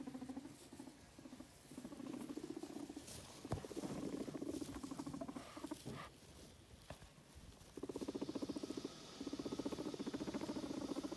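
A guinea pig gives a low, vibrating rumble in rapid pulses, pausing and resuming.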